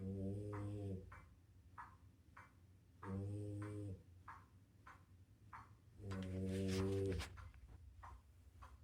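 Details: A female French Bulldog, worn out after a day of playing with a Doberman, snores in her sleep with paws wiggling: deep, buzzy one-second rasps about every three seconds, with soft snuffling puffs between.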